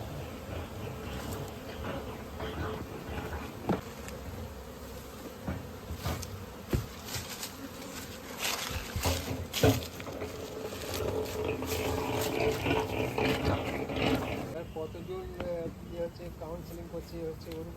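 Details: Honey bees buzzing during natural honey collection at a bee farm in an Indian village: a steady low droning hum with irregular clicks and scraping knocks, brief background music and a faint voice.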